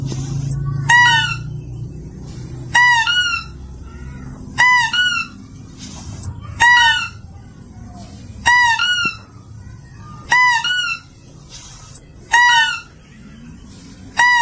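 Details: Clear, powerful mouse-deer calls for attracting animals: a regular run of eight shrill, harmonic double-squeals, one roughly every two seconds, with quiet low background noise between them.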